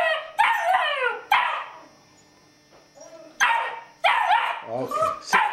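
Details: Sable German Shepherd puppy lets out high, rough barks and yelps in short bursts, two quick barks, then a pause, then a clustered flurry of yelping barks.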